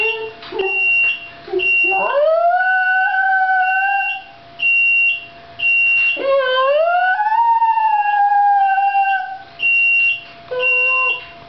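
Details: Sushi, a two-year-old female Shiba Inu, crying at an oven alarm: two long, rising, sustained howls that slide upward and hold, alternating with the alarm's repeated high electronic beeps.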